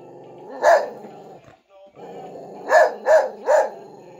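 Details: Pet dog barking at a Frosty the snowman figure that plays music: one sharp bark, a pause, then three quick barks in a row, over the figure's steady tune.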